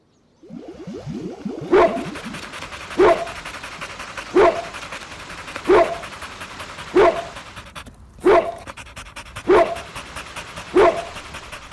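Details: Playful puppies competing for toys on green grass; a bark repeated at a steady pace, about once every 1.3 seconds, eight times, over constant rustling background noise.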